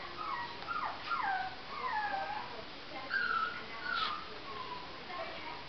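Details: Whining Jack Russell Terrier puppy: a run of high, drawn-out whimpers, some falling and some wavering, about one every couple of seconds, with brief sharper yips between them.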